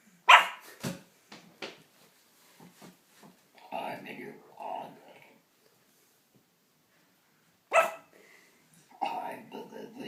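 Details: Three-month-old pug puppy indoors barking at a person making strange noises: two sharp, loud single barks about seven seconds apart, with scattered softer sounds and human voices in between and after.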